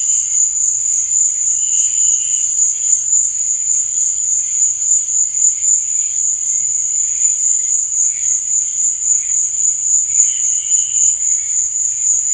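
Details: Night-time cricket chirping forms an unbroken, piercing high trill with a rapid, regular pulse, while softer, lower tones swell briefly now and then underneath.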